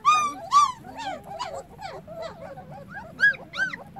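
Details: Whining calls from a litter of puppies whose eyes have just opened, crying for their mother while she is away. The pitch arcs up and down in quick yelps, tumbling over each other, louder at the start and near the end.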